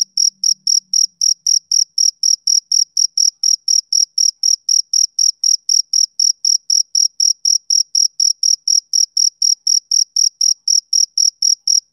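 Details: A male cricket on a summer evening gives a long, even run of shrill chirps, roughly four per second with barely a pause between them. A faint low murmur shows briefly at the start, then only the insect remains.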